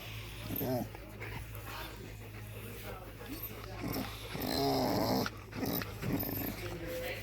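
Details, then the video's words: A 7-year-old female blue merle Australian Shepherd gives drawn-out, throaty moans and grumbles of enjoyment while getting a back scratch, with a person speaking nearby. "Australian Shepherd making noises when she receives a back scratch!!"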